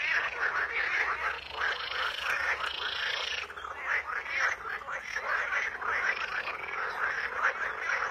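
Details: Frogs in nature croaking together, a thick rasping chorus of repeated pulses, with a brief smoother rising sound partway through over the constant calling.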